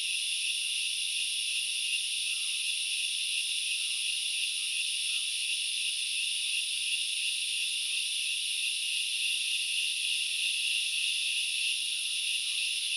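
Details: Steady high insect buzzing from grasshoppers at Knuckles Reserve in Sri Lanka's Central Highlands fills the forest without let-up, a hiss-like chorus, with occasional faint short lower notes scattered through it.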